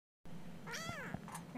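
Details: Siamese kitten almost four weeks old, woken early in the morning and chatty: one clear arched meow, rising then falling, with rich harmonics, followed by a woman's soft greeting in a quiet room.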